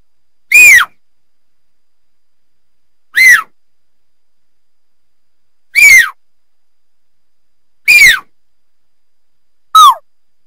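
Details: Puma (mountain lion) giving sharp, high, whistled screams that slide steeply downward, five short cries spaced about two to two and a half seconds apart, with silence between them.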